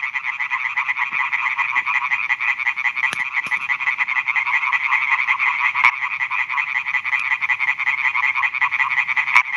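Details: Male European tree frogs (Hyla arborea) calling at night from newly built ponds on a meadow in Schleswig-Holstein, Germany, in 2017, advertising for females. A dense, continuous chorus of rapid, nasal, pulsed croaks overlaps with no gaps, and faint clicks occur now and then.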